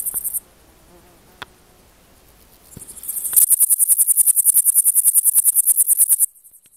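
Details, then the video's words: Male Pholidoptera frivaldskyi bush cricket singing in the sun, Oleksandrivka, Kirovohrad Oblast, Ukraine, 5 July 2023; a brief high chirp, a pause, then a long fast run of high, dry, buzzy pulses, about three a second, ending abruptly. "Singing in sun Pholidoptera frivaldskyi male bush cricket"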